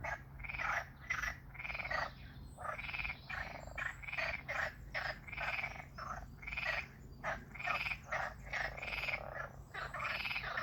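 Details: Frogs calling near water, a rapid series of harsh, rasping croaks in short bursts, several per second, with brief pauses between groups, over a low steady hum.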